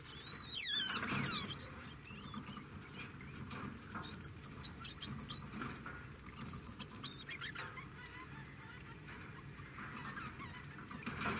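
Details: Degu calling indoors: a sharp, high, harmonic chirp sweeping downward near the start, then two rapid bursts of trilled, high-pitched twittering notes around the middle, with a low steady hum underneath.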